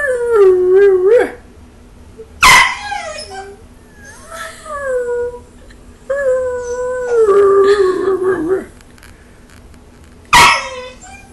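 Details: A young Belgian Malinois vocalizing at its owner, giving wobbling mid-pitched howls that rise and fall, broken by two sharp clicks or knocks, with a sustained wavering howl near the end.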